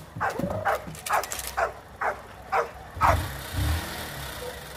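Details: Rottweiler puppies being trained for high-performance guard work bark in a quick, fairly even series of about six sharp barks in three seconds, followed by a low vehicle rumble.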